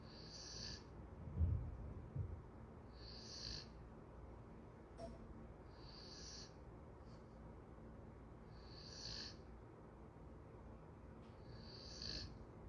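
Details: Golden retriever asleep, giving five breathy whistled snores spaced roughly two and a half seconds apart, with a soft low thump and rustle near the start and faint clicks between breaths.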